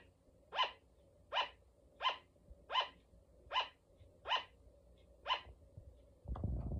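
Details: Sugar glider, a female pet, barks seven times in a steady series of clipped, shrill yaps roughly 0.7 seconds apart, followed by a loud rustling thump at the end.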